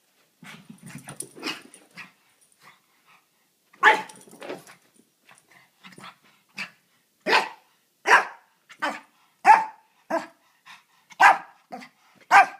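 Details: A small male Pekingese, running around excitedly after coming home from a walk, yaps and barks in short, harsh, scattered bursts; later the barks come louder and quicker, about one per second, with soft grumbles between.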